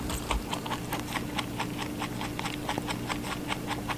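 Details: Rabbit munching watermelon in a small room; soft, fairly even chewing clicks roughly three per second, with a steady background hum.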